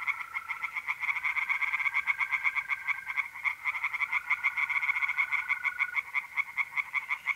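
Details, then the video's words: Dense overlapping croaks from several tree frogs in a pond at night, mid-April, North-East Italy, forming a fast, unbroken pulsing chorus, with the even trill of mole crickets running underneath. "relaxing singing tree frogs in pond"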